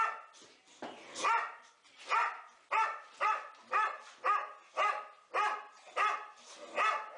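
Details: Four boxer dogs playing together indoors in a play room. Short harmonic barks come in a quick, uneven series, about two per second. Louder bursts alternate with softer ones.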